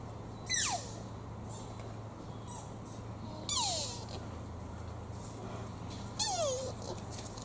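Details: Young deer at Toyama Municipal Family Park, Japan, giving squeaky calls likened to a toddler's squeaking shoes: three sharp high whistles sweeping steeply downward, about three seconds apart, over a low steady hum.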